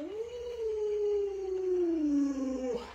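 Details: Alaskan Malamute Luoluo, a pet dog with 36 tricks, reacting while its owner lies sick and unable to get up: one long, steady howl that rises briefly, then slides slowly down in pitch for about three seconds before breaking off.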